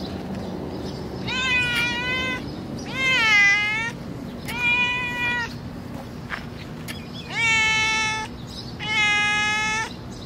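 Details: Hungry, skinny stray cat in the street giving five loud, drawn-out meows, each about half a second to a second long, with a steady low hum of street noise underneath.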